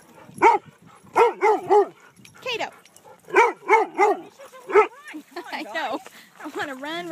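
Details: Kaido barks in play at a dog park, wanting another dog to chase him. He gives repeated harmonic barks in quick pairs and triplets across five seconds, then a person speaks.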